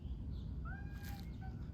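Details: A domestic cat in a Virginia courtyard on a morning with birdsong and a crow gives a short, wavering meow that rises then falls, then a fainter second note, as its owner talks to it, over a steady low rumble.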